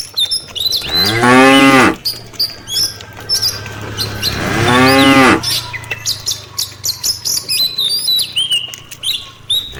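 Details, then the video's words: Tame cattle in a herd of dozens walking back to the farm pen in the late afternoon: two long, loud harmonic moos, each about a second long, with steady chirping birdsong throughout. "Puluhan kawanan sapi lembu jinak yang sedang menuju ke kandang peternakan,suara sapi desa"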